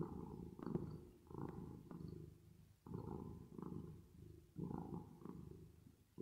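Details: Drowsy cat's purr with reverb effect, a coarse low buzz in swelling bursts separated by short dips, the rhythm loosening toward the end.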